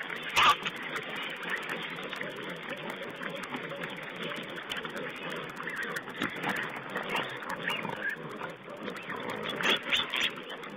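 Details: Feeding wild boar piglets filmed by a wildlife camera on 19 April 2010, giving a continuous jumble of soft grunts and brief sharp squeals, a louder squeal near the start, over a constant noisy hiss.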